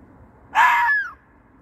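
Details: Single fox cry at night, said to be calling for a mate: a half-second harsh, hoarse scream ending in a falling whistled tail, against faint low rumble.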